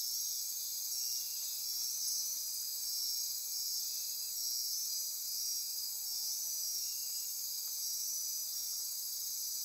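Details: Dense nighttime insect chorus from Costa Rican rainforest by Corcovado National Park, Osa Peninsula: layered shrill trills and ratcheting buzz hold steady throughout, high and continuous, with no other clear sounds.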